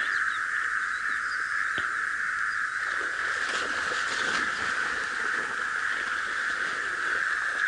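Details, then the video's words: Frogs calling from a marshy area at dawn around 5 AM on 18 December 2017 in the Sabi Sand, South Africa, where egrets hunt them; a steady, dense trilling chorus holds unbroken throughout, with faint splashes and clicks from waterbuck. "they'll be hunting the frogs that you can hear"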